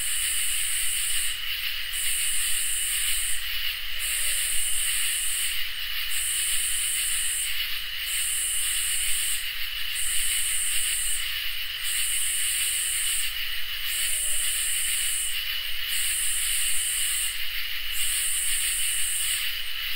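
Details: Summer night chorus of crickets and katydids: a steady high cricket trill runs underneath while a very high, hissing katydid phrase switches on and off about every two seconds, about eleven bursts in a regular rhythm.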